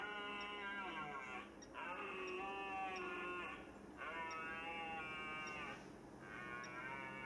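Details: Red deer stags in the rut, early September at the Rennsteig forest in Thuringia, Germany, give long, deep, harmonic roars, each lasting about two seconds.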